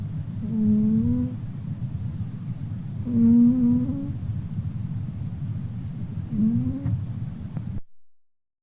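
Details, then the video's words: Red house cat Pinky snoring while sleeping, three humming, nasal breaths about three seconds apart, each slightly rising in pitch, the last shorter, ending abruptly in silence. "Cute Pinky cat VERY LOUD SNORING!"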